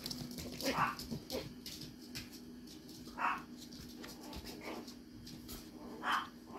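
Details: A dog named Ayame-kun (菖くん), recorded indoors on March 17, gives three short, sharp yips spaced about two and a half seconds apart, with faint clicks and household clatter between them.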